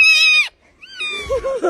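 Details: Unhappy male pet cat indoors around mealtime; one strong, harmonic meow of half a second, a brief gap, then a softer rising cry breaking into short wobbling notes.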